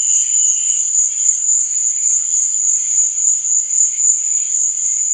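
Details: Crickets chirping at night: a steady, very high-pitched continuous trill holds unbroken from start to finish, with fainter, softer chirring drifting underneath at a lower pitch.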